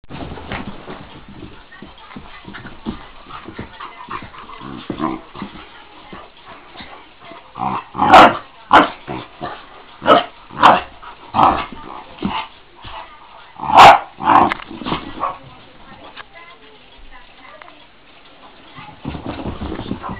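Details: A Great Dane gives a run of loud, rough barks and growly yelps while playing with a Boston Terrier.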